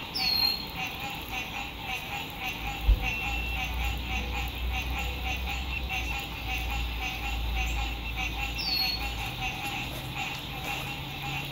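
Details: Frogs calling at sunset beside a lake in spring 2021 while RV camping in fine weather: a thick pulsed trilling chorus over low road-like rumble, with two high downward bird whistles and a brief knock.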